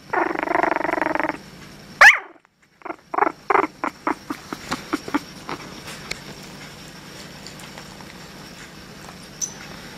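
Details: Female Japanese Chin puppy, described as a little love bug, purring: a dense, buzzy, pulsed rumble lasting just over a second, followed by a series of short clicks and soft taps fading into a quiet background.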